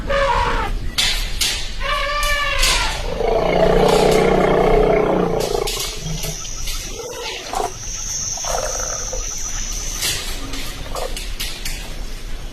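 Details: Elephant in Hojai, Assam, gives short harmonic calls followed by a longer, rumbling roar in its middle seconds. Scattered clicks, knocks and bursts of background noise follow.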